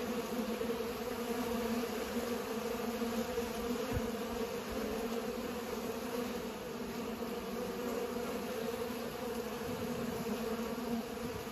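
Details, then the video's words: Many bees at work pollinating, humming in a constant, even drone centred on low bands, unbroken for the whole stretch with one brief thump. "Bees are pollinating"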